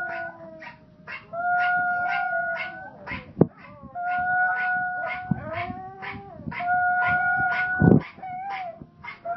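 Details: Pomeranians howling together: long, steady, high howls held for a second or two, repeated in overlapping phrases, with a sharp yip near the end and a rhythmic music beat behind.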